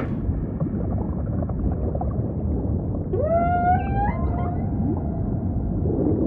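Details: Humpback whale singing over a steady deep ocean rumble: after three seconds of low wash, a clear moan rises sharply and then holds, richly harmonic, with a short second upswept note a second later.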